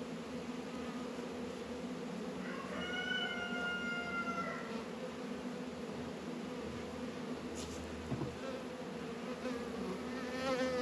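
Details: Hive activity of honey bees in a northern Kentucky apiary, 72 degrees in February: steady humming drone throughout, overlaid briefly by a clear whistled tone with overtones and a few light clicks toward the end.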